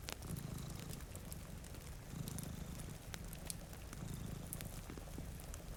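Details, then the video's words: Deep rhythmic purring from two sleeping cats by a rainy window, rising and easing with each breath roughly every two seconds, accompanied by crackling fireplace pops and rain. "Purring Cat"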